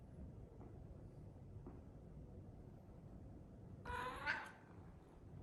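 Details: A Scottish Fold cat sleeping on its back in a kitchen purrs in a steady low rumble, broken near the end by a brief odd snuffling sound.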